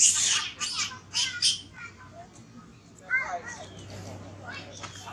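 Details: Baby monkey named Thona, separated from its mother and hungry for milk, crying loudly: shrill high screeches in quick bursts over the first second and a half, then a falling, wavering squeal near the third second, with faint background noise.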